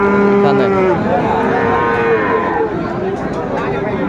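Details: Friesian and cross-bred bull calves at Raniganj market, Dinajpur, 28 November 2024. One steady, tonal moo lasts about a second, then a second rises and falls in pitch, over a background of crowd noise.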